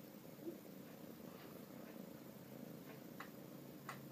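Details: Lance, a Domestic Shorthair cat up for adoption, recorded 20 November 2012, purring softly indoors: a low, steady rumbling drone that runs unbroken for the whole four seconds, with a few faint clicks and taps above it.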